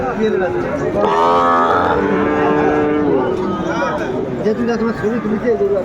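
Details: Cattle mooing at a cattle market in Cumilla, Bangladesh, on 12 February 2025, where a farmer buys a Sahiwal bull: one long, steady, tonal low moo lasting about two seconds, over crowd chatter and bargaining voices.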